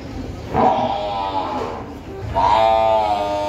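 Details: At a buffalo market in Gabtoli, Dhaka, a water buffalo gives two drawn-out, harmonic bellowing calls against a murmuring background.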